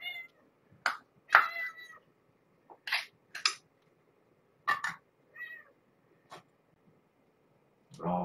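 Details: Domestic cat at a bedtime feeding: Marge, a stray found heavily pregnant who gave birth to five kittens at Purrfect Pals, impatient for her food. Short, bright meows and bursts come at irregular intervals, with a man's quiet voice and soft handling noises.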